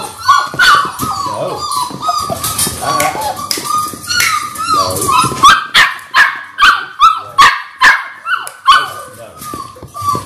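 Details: Six-week-old Labrador Retriever puppies, six in a litter born January 18, 2022, on a live puppy cam, giving rapid high whimpers and yips, roughly two or three a second, with a human voice mixed in.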